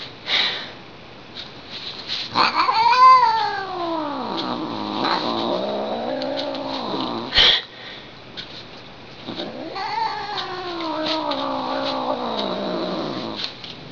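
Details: Indoor female house cat, clearly displeased, gives loud eerie yowls: a sharp rising cry that bends down into a long falling moan, a sudden loud click, then another extended wavering wail sliding downward.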